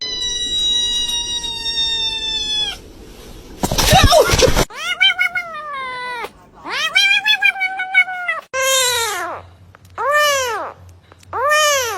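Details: Domestic cat meowing in a series of clear, arched, harmonic-rich meows. Long steady tones come first, then a loud burst of noise, then repeated rising-falling meows in quick succession, some short and some drawn out.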